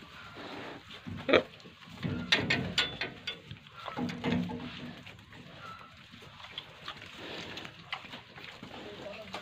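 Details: Pigs and piglets at a pig farm in Tripura, India: short low grunts and snorts at irregular intervals, with a sharper burst near the start, mixed with human voices and clattering farm noises.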